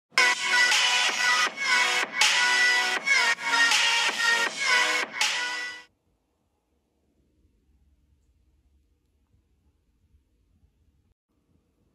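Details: Electronic music plays for about six seconds, then gives way to near silence broken by faint low thumps.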